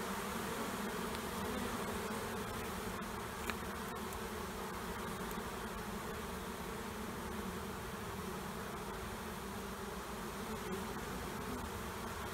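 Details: Honeybees of two colonies beneath a trailer in Panama City, during their removal: a thick, unbroken hum with steady tonal layers over broad hissing noise, a single tap early on.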